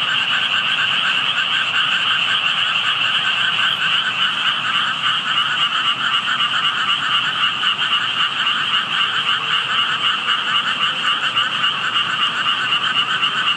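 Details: Frogs heard while passing by but not seen, where only tadpoles were visible: a dense, unbroken chorus of many callers, rapid pulsing croaks stacked in two steady pitch bands, with no other sounds.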